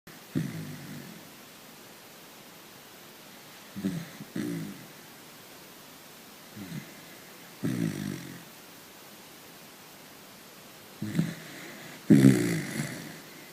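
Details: A sleeping dachshund snores while dreaming: low, rough, breathy snores come in separate bursts every three to four seconds, with quiet pauses between them and a louder snort near the end.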